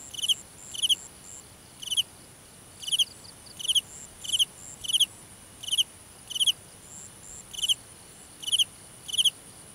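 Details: Cricket chirping in a nighttime grass field, short crisp pulsed chirps at slightly uneven intervals of around one second, with faint higher insect trills in the background.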